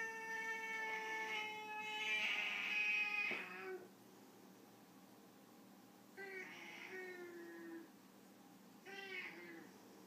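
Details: A Foreign White cat, white Siamese-type, in a disagreement, gives a loud harsh wailing cry of nearly four seconds, then two shorter falling meows after a pause.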